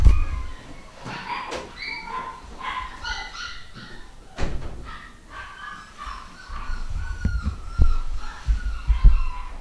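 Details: Nine-week-old home-bred pedigree Fox Terrier puppy, a boy from a new litter, giving short high-pitched harmonic yelps and whines in scattered bursts over low thumping and handling noise.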